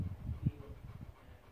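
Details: A Rottweiler living on Jeju, born January 2015, makes a brief, deep, throaty grumble, the low 'talking' sound typical of the breed.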